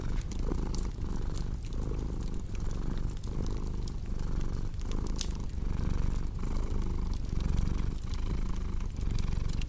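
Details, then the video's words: Deep, even purring from a cat, pulsing with each breath about every three-quarters of a second, with light fireplace crackles ticking through; a cozy ASMR mix for deep sleep. "Purring Cat with Cozy Crackling Fireplace Sound"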